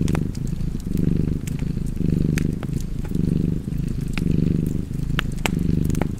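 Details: Low, buzzing cat purr rising and falling about once per second in a regular breathing rhythm, accompanied by intermittent crackles of fireplace logs.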